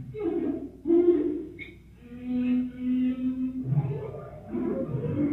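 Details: Whale song played at four times normal speed, sounding much like birdsong: low moaning units, a steady held hum in the middle, and a brief higher chirp, heard in a lecture hall.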